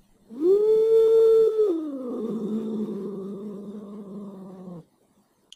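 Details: A domestic cat gives a falsetto growl, possibly a closed-mouth howl, a warning sound: high and steady with varying pitch, then ending in a lower, rougher normal growl.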